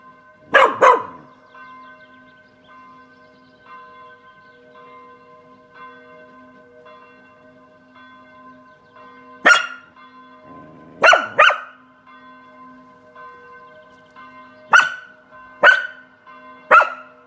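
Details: Kasper, a Spanish Water Dog on a balcony in the sun, barks at church bells ringing Saturday at 18:00. Sharp single barks come first, then in clusters near the end, over steady ringing bell tones.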